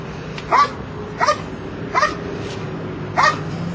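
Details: Belgian Malinois barking during a Schutzhund III protection routine at a trial in Escondido, California. Four loud, clipped barks are spaced roughly 0.7 seconds apart against a faint steady hum.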